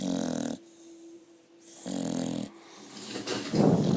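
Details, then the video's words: A seven-month-old female Staffordshire Bull Terrier cross snoring heavily while asleep after a long run; deep rattling inhaled snores alternate with softer exhales, roughly every one and a half seconds. "Snoring dog"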